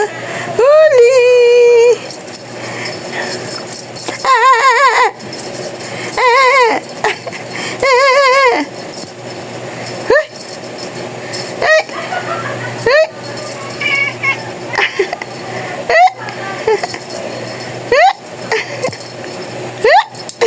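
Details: Talking cat giving a long run of meows, some drawn out and others short and wavering, each rising then falling in pitch, repeated every second or two with faint jingling in the background.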